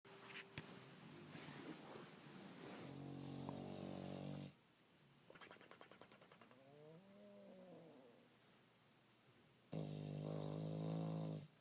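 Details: Bulldog asleep and taking a loud nap, snoring with flapping lips: long, loud, rasping snores with a low buzzing tone, separated by quieter breathing, with brief lip flutters in between.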